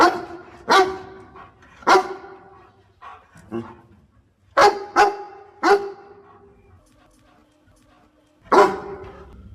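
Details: Dog barking while helping its owner pick water spinach: single loud barks spaced about one to three seconds apart, a few softer yips between them, quiet background with a faint low hum.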